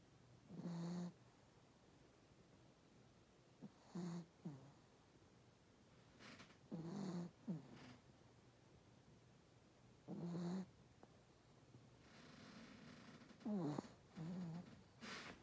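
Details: Pomeranian dog snoring, low rasping snores coming in short bursts about every three seconds, some breaths doubled, with near silence between them in a quiet indoor setting.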